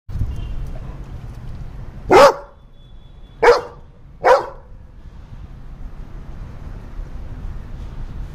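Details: Black Labrador Retriever barking after a bath: three loud, sharp barks spaced about a second apart, each a broad burst with a strong low tonal core, over quiet indoor background.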